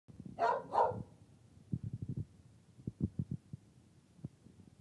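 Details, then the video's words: Female dog barking at a workplace, putting her whole body into it: two loud, quick barks in a row, followed by soft thumps and low rustling sounds. "Trilby Barks (At Work)"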